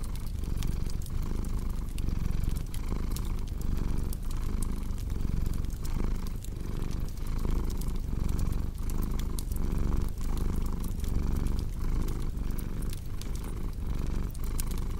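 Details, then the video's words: Domestic cat purring steadily, a low continuous rumble pulsing in inhale-exhale cycles under constant crackling and popping of a fireplace, indoors. "Purring Cat"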